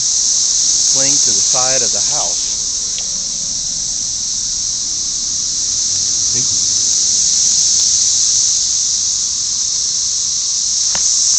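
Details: Red-eyed cicadas, in their millions, singing to attract mates near a house. A continuous piercing hiss-like drone runs unbroken, and a man speaks briefly near the start.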